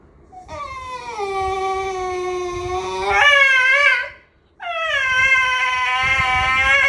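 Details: Expressive mini schnauzer Homer "talks": a sustained moaning whine that drops, then jumps higher with a wavering end, a short silence, then a second long, strained, rising-and-held harmonic wail, like complaining.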